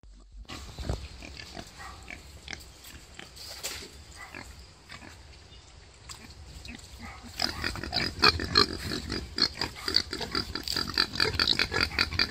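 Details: A wild boar sow giving birth gives rough, rapid grunts and snorts that grow louder and busier toward the end.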